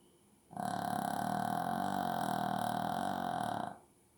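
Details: Buzzy, rattling snore from a sleeping Shih Tzu indoors, held steadily for roughly three seconds with an even mid-range tone riding on a coarse low flutter, then cutting off sharply into quiet.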